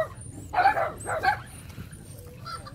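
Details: A friendly, vaccinated 2.5-month-old female brindle Phu Quoc Ridgeback puppy gives two quick, high yipping barks about half a second apart, then a soft thin whine over a low background hum.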